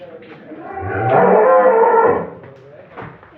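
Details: Holstein Friesian dairy cow at a farm in Setabganj, Dinajpur, Bangladesh, giving a loud, drawn-out moo of about a second that swells and fades, rich in harmonics, with faint background voices before and after.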